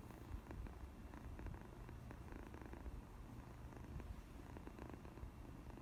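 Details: Pet cat purring for the first time: low, even, throbbing purr carried steadily from start to finish, accompanied by faint scratchy rustling.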